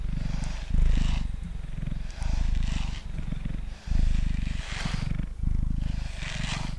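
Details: Purring pet cat named Mango, male, on a table during brushing; low continuous rumble rising and falling in breaths roughly every one to one and a half seconds, with airy bristle strokes brightening each phase.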